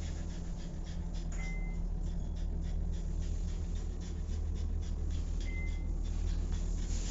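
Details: French Bulldog panting steadily, quick rhythmic breaths of about four per second, soft and breathy over a constant low hum, with two brief high whistled tones in the background.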